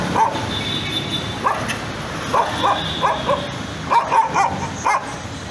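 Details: Nervous dog repeatedly barking, short sharp barks spaced roughly every half second to second, some in quick doubles, with a faint high whine or tone in the background.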